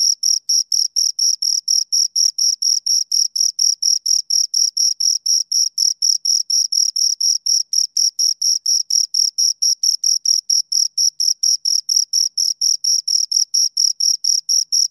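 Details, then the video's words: Two crickets chirp steadily for a long stretch: high, thin, pulsed notes repeating about four times a second in a metronome-like rhythm, each with a faint higher overtone, with no background noise. "Two Crickets Chirp Sounds"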